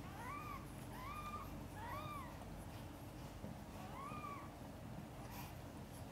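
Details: Mother cat Chan giving birth to five kittens, a difficult labour with kittens born backwards; four short high arched mews, rising then falling, come in quick succession over the first half, then pause before a final mew, over a steady low room hum.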